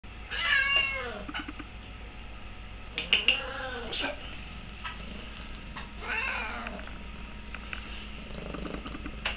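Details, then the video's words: Spotted Oriental cat, male, chatty while perched on a person's shoulder indoors, giving a series of short rising-falling meows and chirpy trills, with a woman's voice speaking softly in between. "Talking Oriental cat"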